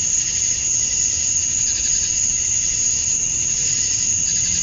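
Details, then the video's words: On a Georgia summer night at dusk, male cicadas chirp to draw females: a continuous piercing buzz with faint wavering pulses, sustained at one level across the whole stretch. "Cicadas at Dusk, Summer Night"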